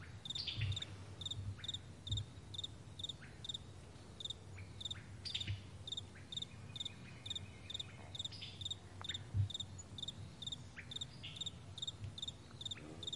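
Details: On a vast meadow in the morning, crickets chirp high and short at a regular pace, over a low rumbling background with a few faint whistled bird notes.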